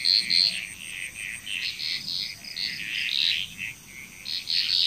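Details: A Balinese frog chorus from Indonesia: dense rapid croaking notes overlapping continuously, swelling and fading, with a thin steady whine above.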